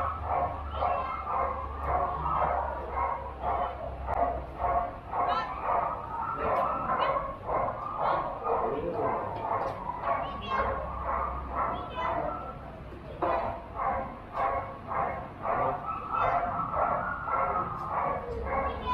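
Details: Border Collie at a junior agility competition in Rangsit on 21 November 2021, barking in fast, uneven bursts of about two barks a second for most of the stretch, with a brief pause midway and a low hum beneath.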